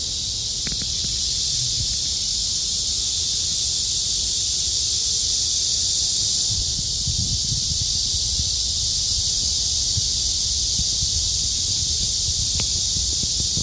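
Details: Cicadas droning in summer among trees along Hakuicheon stream: a dense, unbroken high-pitched buzzing hiss that holds steady throughout, with faint low rumbles and a couple of brief clicks beneath.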